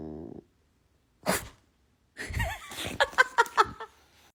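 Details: A pet bulldog making a weird noise: a short burst of breathy sniffing, then a run of wet snorts and snuffles with brief wavering whiny notes, ending in several sharp puffed exhalations.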